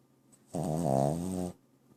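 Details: Dog named Bobo snoring: a single one-second rasping, vibrating breath, steady and harmonically rich, set against a quiet room.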